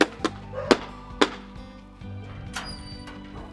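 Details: Music with sharp knocks and thuds, and no animal voice heard.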